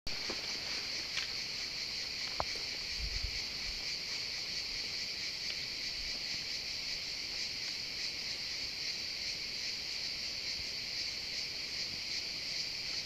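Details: Cicadas calling among pine trees, a continuous dense buzzing band with strong high and upper-middle tones, steady throughout, with faint low rumbles and a few soft knocks in the background.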